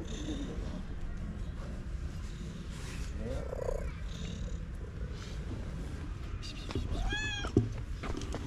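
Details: Stray cat purring very loudly while a person touches it: a steady low rumble runs throughout, with soft rustling of handling and a short higher-pitched harmonic cry near the end.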